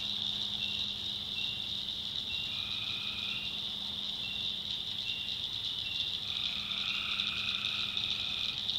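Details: At night in a North Carolina backwoods swamp, tree frogs form a constant high shrill chorus while short lower trills come and go irregularly; a steady faint low hum runs underneath.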